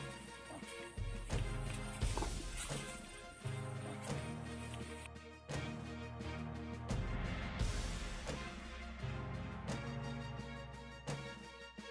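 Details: Loud dramatic music with sudden crashes and thumping hits throughout, with no animal voice standing out.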